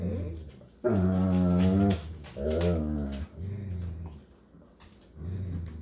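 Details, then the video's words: Golden Retriever father babysitting his puppies indoors gives two low, drawn-out harmonic whining vocalizations, the first about a second long and level, the second shorter, with a quieter murmur near the end in a small room. "Golden Retriever Dad Babysits Puppies"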